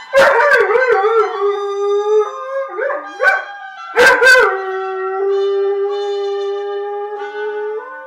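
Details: Dog singing along to a morning television show theme, take three: long, wavering tonal howls that slide up and down, with sharp yelping rises near the third and fourth seconds, then a sustained steady howl to the end.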